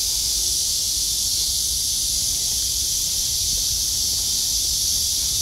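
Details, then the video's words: On a midsummer August day under blue sky after heavy rain, cicadas sing in a steady, high, hissing drone without a break. "매미소리와 파란 하늘 제대로 된 한 여름날 입니다."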